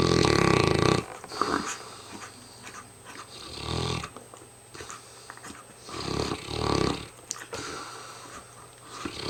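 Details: Hamish, a very tired mastiff, snoring up a storm: a loud rasping snore at the start, then repeated rough inhalations every couple of seconds, each a short growly rumble, over a low steady hum.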